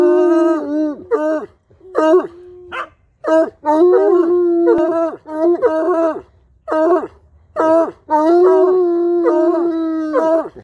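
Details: A Bloodhound meeting a Bluetick at a dog park gives deep, mournful, drawn-out baying howls that waver in pitch, broken by choppy yelping bursts in a loose series; this happens every time they meet.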